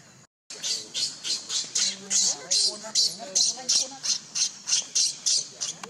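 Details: Hungry baby monkey Leo in the jungle crying to its mother for milk, a steady run of loud, harsh, high screeches about three per second, with a low voice murmuring faintly beneath.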